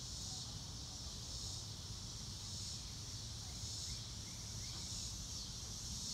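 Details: Crickets on a clear blue-sky day, recorded in real time without music: a dense, high shimmering chorus that swells and fades in slow waves over a steady low rumble of wind-like noise.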